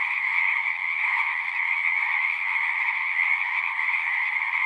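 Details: Singing frogs in a massed chorus, overlapping rapid trills blending into one steady buzzing wall of sound, with faint low rumbling underneath.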